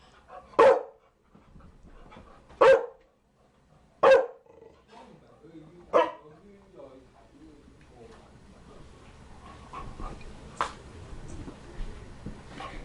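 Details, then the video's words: A Chow Chow barks four times, each a loud, abrupt single bark spaced about one and a half seconds apart. Quieter, softer sounds and faint murmuring follow, with one more sharp bark near the end. "Chow Chow barking"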